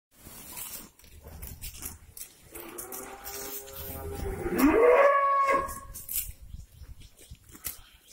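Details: In the morning, cows just released onto a breeding farm's grazing area and happy with the grass make noise; one gives a long, rich moo that swells and rises in pitch before fading.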